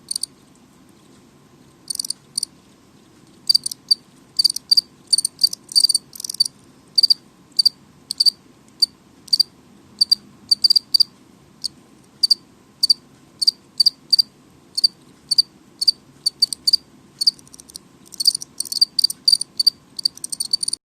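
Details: Loud house cricket indoors, a quiet start giving way to a long series of shrill high chirps, mostly regular pulses with denser bursts near the end, over a low steady hum.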